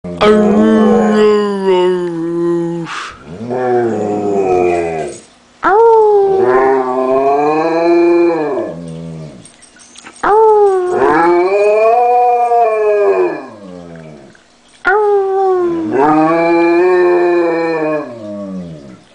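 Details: Jaime, a female pet German Shepherd, howls like a wolf indoors. Long harmonic wails rise, swell and fall in overlapping phrases, with a person howling along to coax her. Breaks between phrases come every few seconds.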